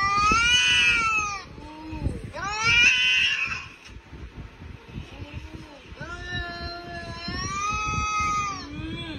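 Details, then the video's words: Domestic cat fighting another cat shown on a laptop screen, mistaking it for a real cat: loud drawn-out harmonic yowls and wails rising and falling, in long bouts of one to three seconds with brief gaps. "Cat Fight With Another Cat In Laptop Screen"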